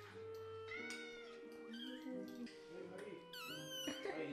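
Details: Scottish Fold and British Shorthair kittens, hungry and impatient, wait to be fed after hiding from the microwave. Several overlapping meows, some rising and some falling, come in quick succession over soft background music and a person talking.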